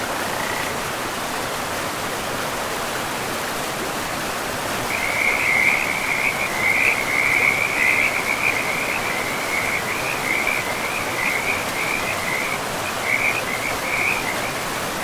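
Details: Frogs by a river in a pristine forest: after five seconds of steady rushing water, a high, rapid, pulsing trill starts and runs on with brief breaks over the constant flow noise.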